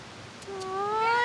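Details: Small cute cat met outdoors during a film shoot gives a clear, tonal meow that starts low and slides steadily upward in pitch, cut off while still rising; a person had just greeted it softly.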